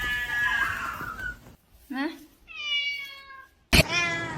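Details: Domestic cat giving a drawn-out, harmonic-rich meow that falls slightly in pitch, preceded by human speech and ended by a sharp loud burst.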